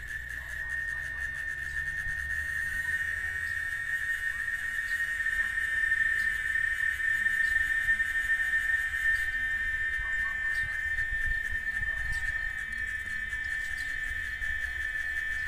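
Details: Constant shrill buzz of a cicada, the chicharra of Oaxaca, Mexico, held at a single pitch without pause, overtones flickering above it and a faint low hum at the start.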